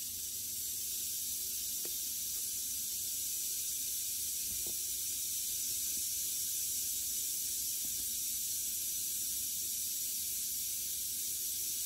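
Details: Western diamondback rattlesnake, a captive snake killing a mouse, giving a steady, hissing high buzz that runs unbroken throughout, with a few faint low clicks in the background.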